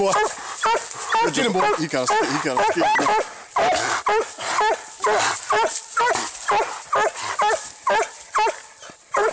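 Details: Treeing Walker Coonhound fighting a raccoon outdoors: dense, harsh barks and yelps tumbling over each other about twice a second, loud and uneven throughout, with a man's voice calling out in the background.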